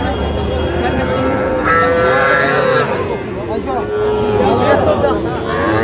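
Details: Young bull calves at a Comilla cattle market in Bangladesh on 14 February 2025: a soft, fairly short moo partly buried under loud haggling voices and general market hubbub.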